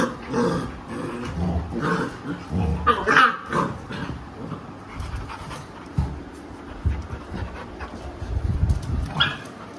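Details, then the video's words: Labrador Retriever Alexa teaching her misbehaving puppies a lesson. Muffled low growls and snarls mix with soft whimpers and panting, louder at the start and again near the end. "Aggressive dog |बदमाश बच्चों को माँ ने सिखया पाठ"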